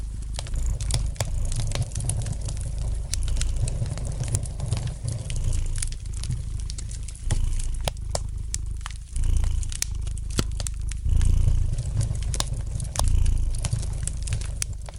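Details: Relaxed domestic cat purring near a fireplace, low throbbing rumble in slow breath-paced swells about every two seconds, accompanied by light, irregular crackles of burning logs.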